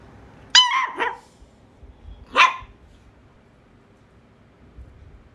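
A Shih Tzu puppy gives two high, sharp barks about two seconds apart.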